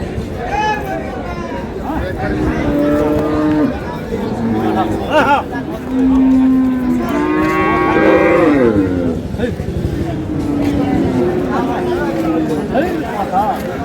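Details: Dairy cows and calves of improved breeds at Ambari cattle market on 15 April: several long, steady low moos, one drawn out near the middle and another rising then falling, over busy crowd chatter and haggling voices.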